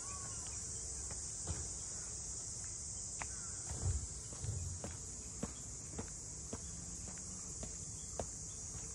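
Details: Continuous cicada buzz over the Ine no Funaya waterfront houses north of Kyoto, Japan, a bright unwavering whine held throughout, with footsteps, a brief low rumble around four seconds and scattered clicks beneath.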